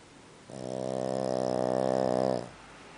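A Boston Terrier snores loudly, one sustained rattling drone with a rough, buzzing texture. The snore swells slightly, holds steady for about two seconds, then stops abruptly.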